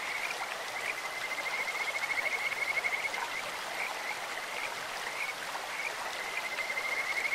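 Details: In a clear mountain stream, Kajika frogs give beautiful bird-like calls, sustained high trilled notes of fast pulses, one train early and another near the end, while running water hisses continuously beneath.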